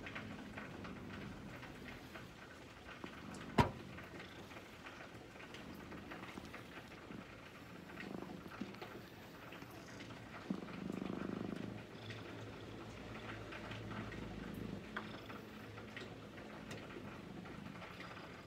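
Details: Brown-and-white domestic cat waiting calmly and being gently stroked, giving a low, steady rumbling purr throughout, with soft rustles of handling, a sharp click near the start and a brief louder murmur midway.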